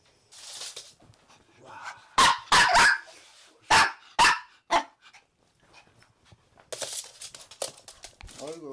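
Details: Indoors, three Maltese dogs take over the bed: a male born in Gwangju, a female from Daegu, and their daughter born August 2018. Quick clusters of high, sharp barks over about three seconds, with a woman talking before and after.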